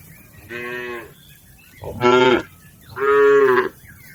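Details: Cattle herd driven across a river to the farm pen, mooing three times in quick succession, each call a rich harmonic bellow, the second sharper and louder, the third long and steady.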